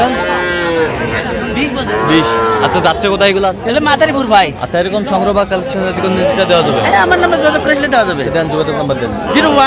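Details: Young Sahiwal bull and heifer calves at a cattle market in Madaripur, Bangladesh, on 13 January: drawn-out, harmonic moos in the opening seconds, followed by busy crowd chatter and bargaining voices throughout.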